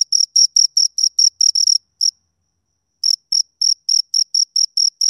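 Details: High, shrill chirps from two crickets recorded up close, given in quick runs of evenly spaced pulses, broken by a silent pause of about a second before the chirping resumes at the same pace.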